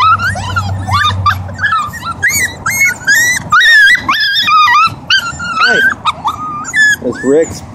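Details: Siberian huskies, a family group with puppies, in Oregon. Wavering, whiny yodel-like cries slide up and down over a low hum at the start, and a person's voice is mixed in.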